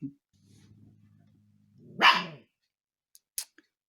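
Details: Umka, a husky puppy settling into her home and pestering the household cats, gives a low, droning growl for over a second, then one loud, sharp bark, followed by a few faint clicks indoors.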